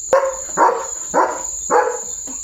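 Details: Leo, a pet German Shepherd at home, gives four loud, deep, hoarse barks about half a second apart while people nearby speak of someone coming; a steady high electronic whine runs underneath.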